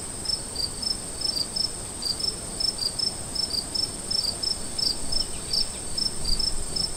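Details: Afternoon crickets chirp in short, high, pulsed bursts over a steady, even higher continuous trill.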